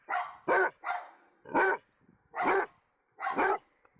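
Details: Six short, loud dog barks in quick succession, each a sharp harsh burst separated by brief silences, spread over about four seconds.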